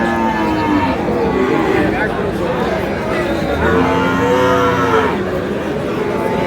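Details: Cattle at the busy Tuesday Aftabganj cattle market in Dinajpur, 22 July, among Friesian and crossbred bull calves. Several moos sound over constant crowd chatter: short low calls near the start and a louder, wavering moo around the middle.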